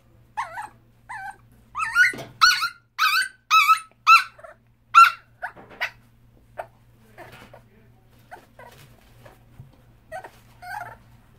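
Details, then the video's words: Male dachshund kept in a hospital cage, wanting out: a quick run of loud, squeaky yelping whines, about two per second, that fades into scattered softer whimpers over a faint hum. "Cute dachshund wants to get out of the cage!!"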